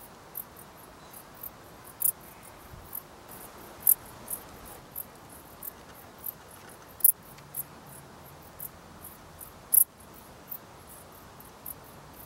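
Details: Dark bush cricket singing: short, dry high-pitched chirps at irregular intervals of about one to two seconds, some noticeably louder, over a faint low hiss.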